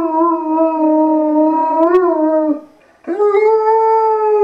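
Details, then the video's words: Liam the Irish Wolfhound sings a drawn-out howl that rises slightly, then dips before fading out. After a half-second gap he starts again on a steady, mellow tone full of overtones. "Liam the singing Irish Wolfhound"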